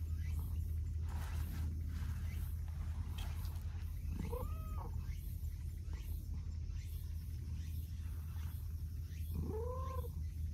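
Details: Stray cats, a clingy tabby and a gentle orange-and-white cat, outdoors; two clear arching meows about five seconds apart, rising then falling, over a steady low rumbling hum.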